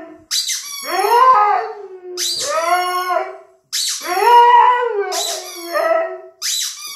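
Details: Squeaks of a toy rubber chicken answered by a Siberian Husky's singing howls, each howl swelling and sliding downward, about three howl-and-squeak exchanges.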